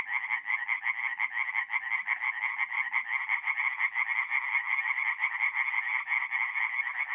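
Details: Tree frogs singing at night in a forest pond in mid-April, north-east Italy: a dense overlapping chorus of rapid nasal pulsed croaks, many callers at once forming a continuous throbbing wall of sound.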